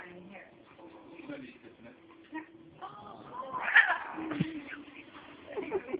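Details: Angry domestic cat giving low growling moans that swell into a drawn-out wailing yowl midway, followed by shorter rising cries, with people talking nearby.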